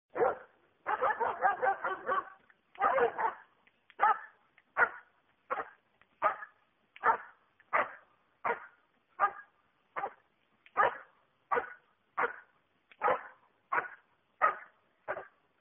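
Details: Schutzhund dog during protection work, holding and barking: a dense burst of rapid barks, then steady sharp barks repeated roughly every 0.7 seconds, fairly even in pitch and loudness.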